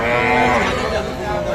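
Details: A cow with her calf at Kaharol market in Dinajpur, Bangladesh, 18 August, gives a brief sustained nasal moo, loud and close, with market voices and hubbub around it.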